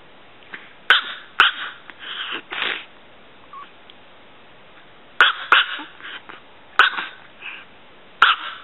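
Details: Six-year-old female Chihuahua Pulga, less than 3 pounds, lets out clusters of high, slightly sneezy yaps, pausing for a couple of seconds between bursts.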